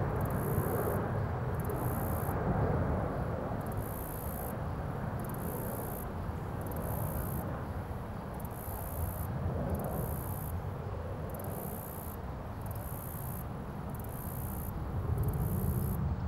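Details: A cricket on a leaf in its natural environment chirps in high, thin bursts repeated about every second and a half over a low rumble.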